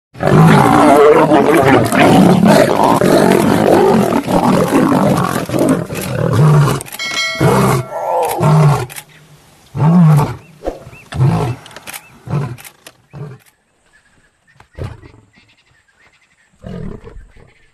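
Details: Big male lion attacking a small lion: harsh, dense roaring and snarling in loud overlapping bursts through the first thirteen seconds, then scattered shorter growls and grunts fading to near silence.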